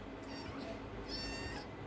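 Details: Domestic cat giving two meows, the second longer, with a person talking and faint music behind.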